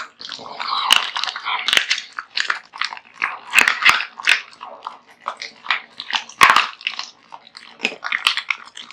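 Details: Bones crack sharply as Kotetsu, a big-eating male American Bully pet, crunches a heaped meal of raw meat; bright, crisp snaps and gnawing come in quick clusters throughout.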